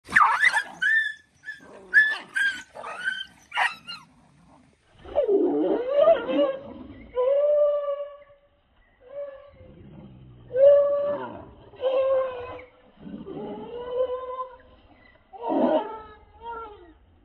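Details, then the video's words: Several dogs play-fighting with one another; sharp yelps and barks at first, then drawn-out growling snarls and whining cries with wavering tones, in bursts about every second or two. "poor dog angry with friends"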